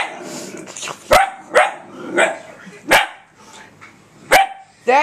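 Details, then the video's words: Female puppy barking at her own reflection on a laptop screen indoors: sharp single barks roughly every second, with people laughing and talking around them. "barking at her reflection off the laptop!"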